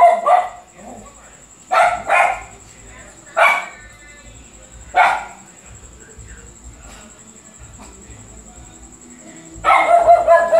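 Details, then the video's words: A dog barking repeatedly, short harmonic barks at irregular intervals, some in quick pairs, with a final burst of several barks; a steady high tone runs throughout in the background. "Luphe latindo muito !"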